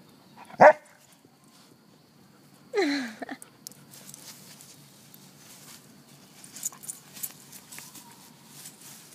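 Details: Happy dog barking while out on grass, about to roll in it: one sharp loud bark near the start, then a second yelping, falling bark a couple of seconds later, followed by quiet rustling and faint movement sounds.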